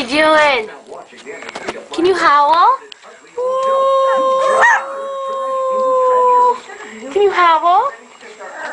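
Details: Puppy howling among a person's encouraging talk: short wavering yelps, then a long, steady, sustained howl lasting about three seconds, ending with a few more broken, quavering cries.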